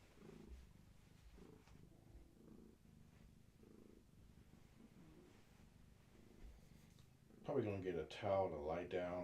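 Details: Gaia, a long-haired tabby cat heavily pregnant with many kittens, rests indoors while held steady and rubbing against a person; a soft, low rumbling purr pulses steadily for several seconds before a person's voice speaks over it at the end.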